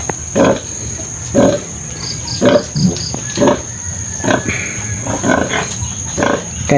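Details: Domestic sow with her surviving piglets after farrowing, the five left of a litter of twelve after seven died; short grunts repeat roughly once a second in a loose rhythm over low background hum, with faint speech.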